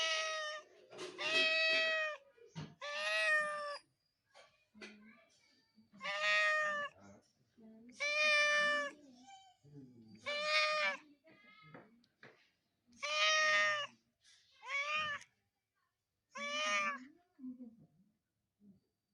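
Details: Cat meowing repeatedly, around eight loud, tonal meows with rich harmonics, each lasting about a second and spaced every one to two seconds, with quiet shuffling noises between calls.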